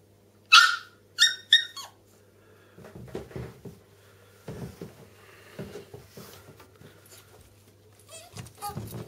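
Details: Three small pet dogs, a bichon frise named Millie, a Chihuahua named Alfie and a Yorkshire terrier named Louie, at the top of indoor stairs; a few sharp high barks open, then softer shuffling, whimpers and low household noise.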